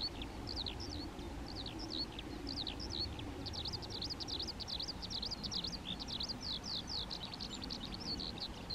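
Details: European ground squirrels (Spermophilus citellus) in a colony giving vocal signals: rapid, near-continuous run of short arched high whistles from multiple animals, densest in the middle, over a low steady background hum.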